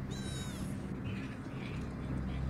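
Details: A short, high-pitched, thin meow from Rocky, a rescued homeless kitten, fades after under a second and leaves a steady low background hum.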